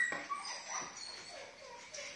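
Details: A group of male brindle Phu Quoc Ridgeback dogs give short, high whimpers and yips that rise and fall in quick bursts.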